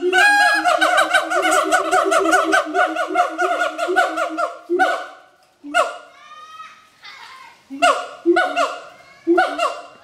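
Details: Mated adult siamangs perform their complex duet song at Schmutzer Primate Center. A dense, fast volley of barking notes runs for five seconds, then breaks into scattered louder whoops with short rising inflections.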